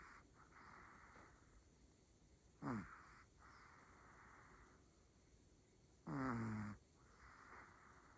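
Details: Sleeping Pomeranian Rumi, a female pet dog, gives two harsh snoring snorts with a falling, grinding tone, separated by hushed, airy breathing.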